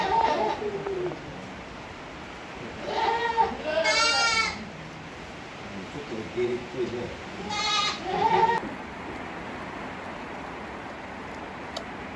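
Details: Tokara goat kids, 18 days old, with their mother at a goat farm in Yoshigake, Himi, Japan, on 29 April 2022: several loud, wavering bleats in separate bursts a few seconds apart, plus quieter low bleats between them.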